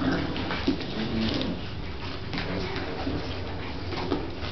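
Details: Playing with pups, the dog Bronx gives low, short whimpering notes and occasional yips over a dense, even background hiss, with a couple of faint knocks.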